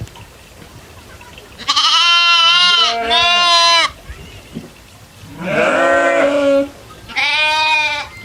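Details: Goats grazing in the fields with other farm animals; a run of rich, nasal bleats, two back-to-back then two more after short pauses, each about a second long, over a faint low background.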